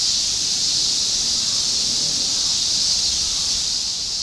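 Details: Cicadas massed in a summer chorus in Shinjuku, Tokyo, in 2016, a loud unbroken shrill hiss with no pauses and little else beneath it.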